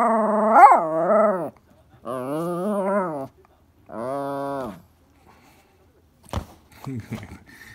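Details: Toy Poodle named Elle urging Happy Hanna for a ball. Three long, tonal whining grumbles with bending pitch are followed by silence, a sharp click, and a brief low rumble.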